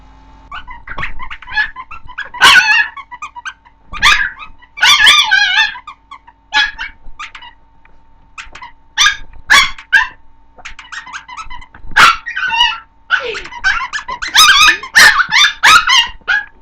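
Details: Chihuahua puppy, female, barking at her toy indoors: sharp high yips and barks in quick bursts, some doubled, with short pauses between volleys and a steady faint background hum.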